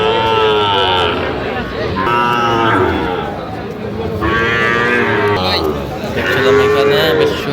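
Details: Sahiwal bull calf at a Narayanganj farmer's purchase on 20 December 2025, lowing in long harmonic moos, some rising then falling, roughly every two seconds amid background chatter and other cattle.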